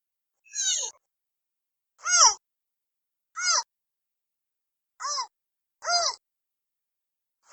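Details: Baby giant panda squealing in brief, nasal, arched cries, five in quick succession a second or so apart and a sixth just starting, each rising then falling, with nothing else audible.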